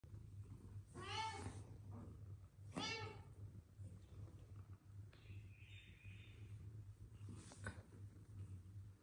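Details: Aggressive kittens fighting with each other give two short, harsh, harmonic yowls early on, each rising then falling. A steady low hum runs throughout, with a brief thin squeak and a soft rustle afterwards.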